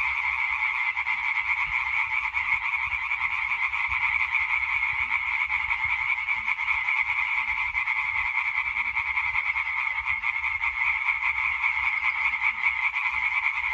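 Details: European tree frogs calling together in a chorus on 20 May 2023: dense, continuous rapid pulsed croaking forming an unbroken rattling wall of sound, many overlapping callers with no pauses.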